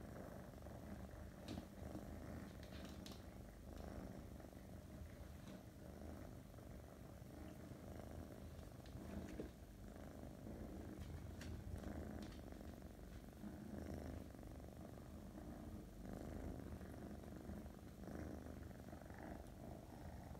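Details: A female Russian Blue cat purrs steadily, a low continuous rumble with soft rhythmic pulses.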